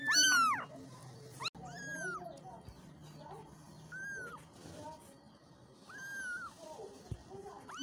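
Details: Kittens meowing for their mother. A loud high meow opens, followed by several softer, thin arched meows from more than one kitten, with a low background hum and a sharp click.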